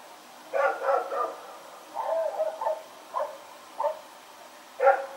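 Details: Rex the dog, out running around at night on 21 September 2018, barks in a steady series of short, ragged woofs, about seven bursts in five seconds, ending with a loud one.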